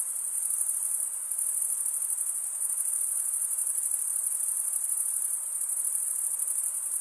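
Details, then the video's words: Crickets chirping, the sound made by stridulation as a male runs one wing along the toothed vein under the other. A shrill, very high, unbroken trill holds steady throughout with a faint fast pulsing and no other sounds. "Most relaxing cricket sound for 8 hours"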